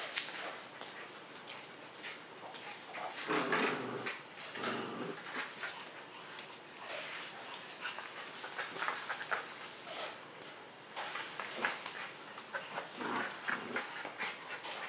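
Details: Three household dogs, a Husky-Shepherd mix, a Pomeranian and a Miniature Schnauzer, playing indoors on the floor; steady run of thin whimpering and short yipping bursts, with clicking and shuffling noises throughout.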